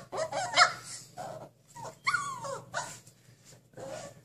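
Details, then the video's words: Caged husky puppy wanting out: a mix of short whimpers, soft growly yelps and rising whines in uneven bursts, moderately quiet, with brief pauses between cries. "Husky puppy wants to break out of his cage"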